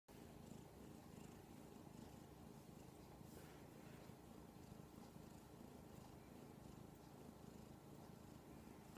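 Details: A giant kitten demanding attention purrs steadily in a low, continuous rumble with a faint constant hiss over it.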